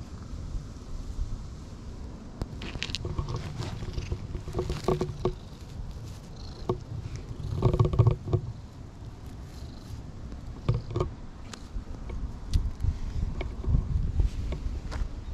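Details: Stray cat relaxing in a park while being stroked, filmed on a GoPro HERO8, with a second friendly cat joining. A low, steady rumbling purr runs throughout, broken by rustling and handling thumps and brief scratchy noises.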